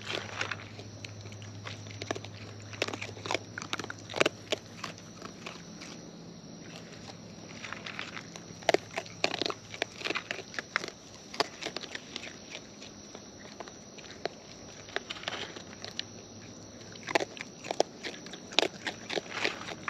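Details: Wild raccoons feeding close by with natural chewing sounds: continuous crunchy bites and smacking clicks, in busy bursts, over a low steady hum and faint high tone.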